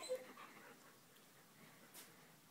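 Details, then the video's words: Two puppies vocalizing, chattering at something they can see or hear indoors; a brief high whimpering yip at the start, then soft faint whines over quiet room noise. "Vocal Puppies"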